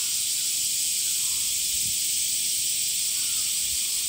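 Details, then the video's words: Male cicadas singing in summer: a loud, continuous, hissing whine that neither rises nor falls over the few seconds heard, with only faint low rumbles beneath. "THE SOUNDS OF CICADAS ( semi goe ) THE SUMMER INSECT"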